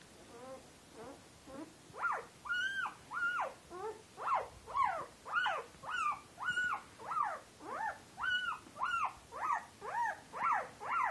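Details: Turkmen Alabai (Central Asian Shepherd Dog) puppies from a litter of eight born February 8, 2013, three males and five females, at a kennel; steady series of high, arching whimpers and squeals repeated nearly twice a second, indoors.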